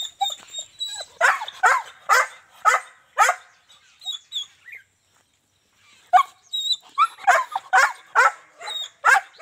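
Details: German Shepherd from Azamgarh, a stud dog offered in trade, giving a run of sharp barks about every half second, a pause near the middle, then another quick series of barks.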